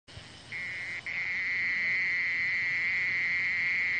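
A mole cricket sings a steady, unbroken buzzing trill at a fairly high, even pitch.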